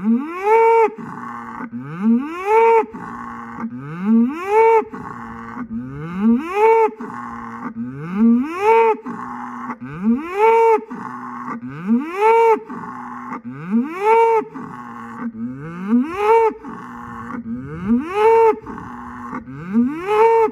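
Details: Big Angus bull getting vocal in a barnyard, telling two other bulls he is boss; strong harmonic moos that rise, hold, then drop, repeated steadily about every two seconds throughout.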